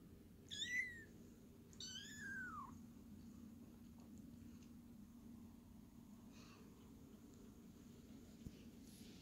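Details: Kittens at Cattery Tink, indoors in a small room: two high, clear meows close together near the start, each bending down in pitch, the second longer and drawn out, then quiet room hum with faint rustling.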